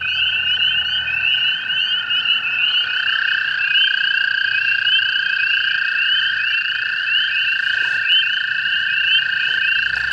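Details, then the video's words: On a May 5, 2016 night in Hepworth, Ontario, hundreds of American toads breeding in a flooded pool near a golf course give long musical trills, overlapping into one continuous, steady hum. "That. This peaceful sound across North America is the sound of the American toads."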